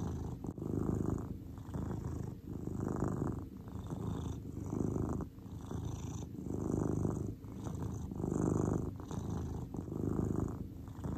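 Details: Low, continuous purring from Cordelia the grey cat as she relaxes, the rumble pulsing louder on each breath about every two seconds, one brief soft bump near the start, otherwise calm and steady.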